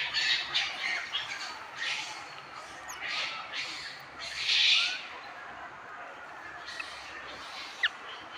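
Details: Baby macaque abandoned by its mother, lying on the ground and crying; harsh, raspy squealing cries in bursts about a second long, repeated several times, louder at the start and again near the middle, then fading to quieter background.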